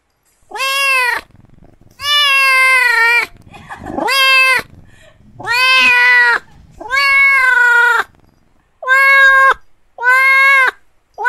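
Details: Kitten meowing repeatedly indoors, seven drawn-out, harmonically rich meows, each about half a second to a second long, rising then falling slightly in pitch, spaced roughly a second apart with brief soft rustling between.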